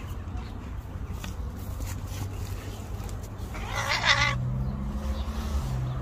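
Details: An angry white street cat gives one short, harsh, strained cry lasting about half a second, against steady low outdoor rumble.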